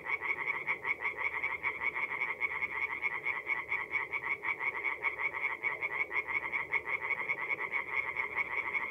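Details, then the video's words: In mid April at a North-East Italian forest pond, tree frogs sing through the night; a thick, uneven chorus of rapid rasping croaks, many voices overlapping so the pulses blur into a continuous rattling throb. "relaxing forest pond by night with singing tree frogs"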